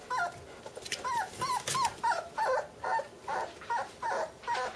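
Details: Bernese Mountain Dog puppy sisters whimpering indoors; a steady run of about ten short, high, whiny yelps, each bending up then down, repeated roughly twice a second.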